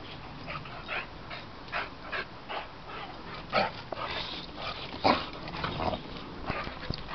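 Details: Two Boxer dogs at play give repeated short barks and yips mixed with growling, about one burst every second or two, several louder than the rest.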